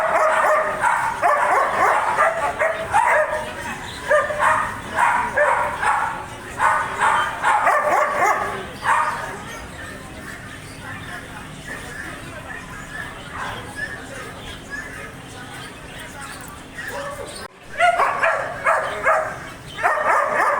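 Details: A German Shepherd barks in quick, deep, repeated bursts, falls quieter for a while, then resumes barking.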